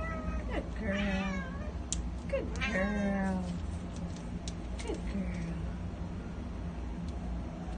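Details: Senior female Domestic Shorthair in a shelter, tense and scared after being abandoned, uttering two drawn-out wavering meows followed by shorter cries, with constant mechanical hum and occasional clicks.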